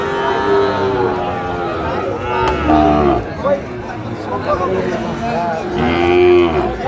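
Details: At a market on 14 October 2024, a Dhaka farmer buys Sahiwal bull calves, which call in several overlapping harmonic moos, some short and falling, one rising near the end, amid crowd chatter and voices.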